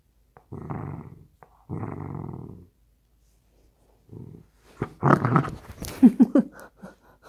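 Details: A drowsy dachshund that drifts off instead of playing ball grumbles indoors: two long low growls, a short growl, then a burst of higher, wavering whiny yelps and grumbles with sharp breaths near the end.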